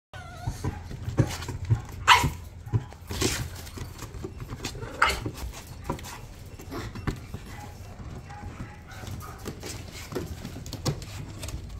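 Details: A lively Bichon Frise gives short, sharp barks, loudest near two, three and five seconds, between softer yips, thumps and handling noise.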